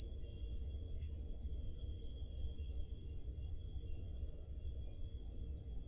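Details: Crickets on a Peloponnese summer night in Greece, taped on a Zoom H5 recorder: continuous piercing chirps pulsing steadily at about three per second, layered faint upper buzzing and gentle low-frequency background noise.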